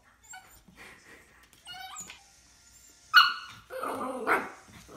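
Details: A 2-month-old male Miniature Schnauzer puppy, looking at his reflection for the first time, gives soft whines, then two sharp, high yipping barks.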